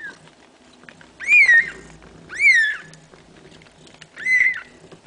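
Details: Kitten-like mews from a household where a mother cat is nursing her seven kittens: three loud, high, arching cries about a second apart, each rising then falling, over faint rustling.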